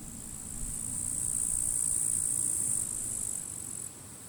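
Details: At the forest edge in late July, with the grass already withered, grasshoppers scrap in the grass under strong wind; a continuous shrill, sizzling drone swells and then steps down near the end, above a low wind roar.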